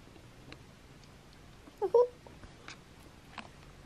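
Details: Newborn Siberian Husky puppies indoors, giving a brief cluster of thin, squeaky cries near the middle, two quick high yelps close together, set against a quiet room with faint clicks and rustles.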